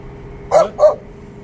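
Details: Chow Chow barking on its first meeting with a man: two short, hoarse barks in quick succession about a quarter second apart, over a quiet indoor background hum.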